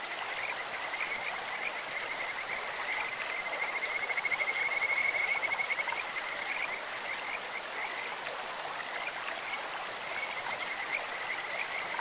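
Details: Kajika frogs calling in a clear stream, a beautiful bird- or insect-like voice: a steady, high whistled trill swells for a few seconds mid-clip, with fainter repeated whistled notes before and after, over constant rushing stream water.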